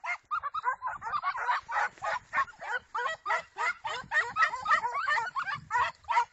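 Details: Segugio Italiano hound giving a fast, dense run of yelping barks, roughly three per second, high and ringing with overlapping voices and no pause throughout.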